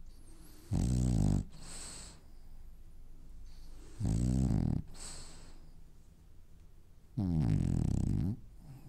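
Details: French bulldog asleep and dreaming, snoring in a steady rhythm: three deep, rattling snorts about three seconds apart, each followed by a breathy wheeze on the out-breath, the last sliding slightly in pitch.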